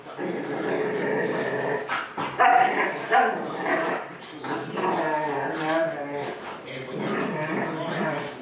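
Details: Huskies left home alone while their owners run errands, young Gertie among them at one year old. Drawn-out, wavering harmonic howls and talkative yowls overlap through the whole stretch, rising and bending in pitch with short breaks between.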